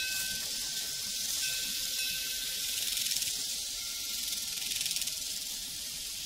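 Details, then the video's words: A shrill, pulsing cricket chorus on a prairie swells and ebbs gently. A faint cowbell tone rings steadily in the background. "Sounds from a Prairie Crickets and Cowbells"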